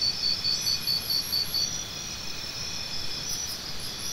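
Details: Crisp, evenly spaced high chirps from a cricket, about six in quick succession, then a pause leaving only a steady shrill insect background.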